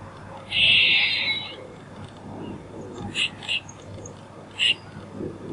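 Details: Squirrel call: one harsh, buzzy burst lasting about a second, followed by three short, high chips spaced apart. Faint background hiss throughout.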